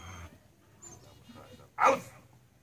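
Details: Belgian Malinois named Tank at his first home protection training session with a decoy; after a quiet stretch of faint murmurs comes one short, sharp, explosive bark near the end.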